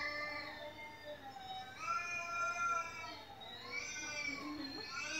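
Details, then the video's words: Household cat meowing nonstop at home while a recording of cats meowing plays for it; long, drawn-out tonal meows overlap and bend gently up and down throughout. "แมวที่บ้านร้องไม่หยุด1 เลยเปิดคลิปแมวร้องให้ดู"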